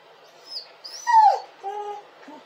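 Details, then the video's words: Dog crying: a faint high squeak, then one loud whine sliding steeply downward, followed by quieter, flatter drawn-out whimpers. "dog crying and hurling!"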